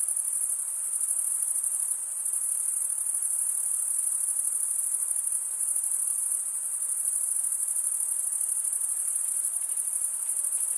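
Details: Steady stridulation from chirping crickets, the males rasping wing against toothed wing, forms a bright continuous high trill with slight dips in volume near the start and at about two seconds.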